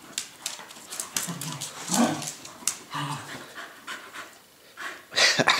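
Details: Dog panting in quick, rhythmic breathy bursts with soft snuffles, a louder breathy flurry near the end, and quiet Dutch-speaking voices around it.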